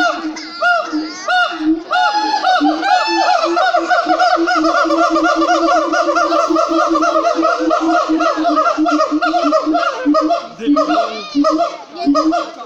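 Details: Siamangs calling loudly in full voice at Cotswold Wildlife Park: a dense, continuous chorus of rapid, ringing harmonic hoots repeated about one and a half per second, with swooping rising notes layered over steady barking pulses.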